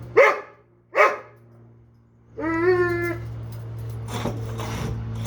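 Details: Doberman upset that he can't reach a bone he dropped under a dog bed: two short sharp barks, then a drawn-out tonal whine with clear overtones, followed by rustling and scraping as he tries to get it.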